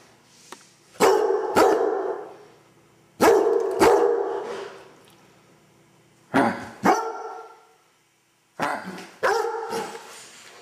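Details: Basset Hound playing after getting a bath, barking loudly in four pairs of resonant, harmonic-rich barks spaced a few seconds apart, each pair two sharp barks about half a second apart, with quiet pauses between.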